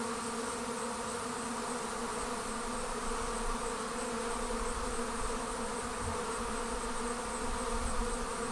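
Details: A swarm of honey bees leaving its hive: a thick, sustained, even buzz of many insects with steady low hum bands and a faint airy high hiss, lasting over eight seconds without pause.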